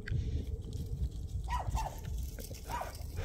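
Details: Country dog met on a winter walk in rural Taean, very happy to see people: three short, high, bending whines about a second apart, over low rumbling wind and handling noise.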